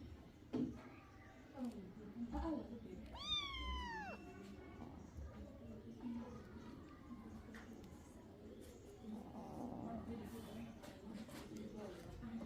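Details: Kitten drinking milk gives a single high arched meow mid-clip, rising then falling in pitch, amid low background rumble and faint voices.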